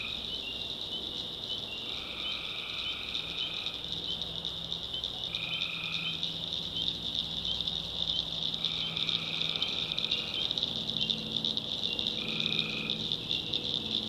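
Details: In a North Carolina backwoods swamp at night, tree frogs keep up a constant high trilling chorus, while distinct lower buzzy calls of one to two seconds each break in roughly every two to three seconds.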